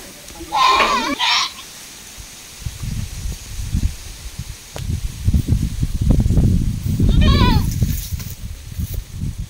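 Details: Farm-raised goat giving two loud, quavering bleats, one near the start and one about seven seconds later, with low rumbling handling noise and murmured voices in between.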